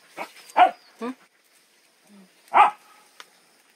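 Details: Puppy barking in short bursts: three quick high barks in the first second, a pause with a faint low squeak, then one louder bark after two and a half seconds and a small click.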